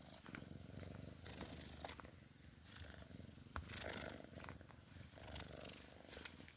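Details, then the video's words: Sphynx cat purring while playing: a steady, buzzing low rumble with rapid pulses throughout, overlaid by scattered taps and rustles. "Sphynx cat play time purring"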